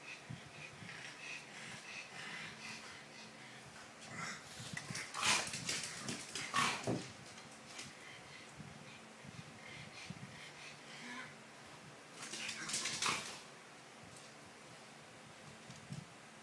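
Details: A pug play-fighting with another dog called Lala indoors: wheezy, raspy snorts and huffs in irregular runs, louder bursts around the middle and near the end, with scuffling sounds throughout.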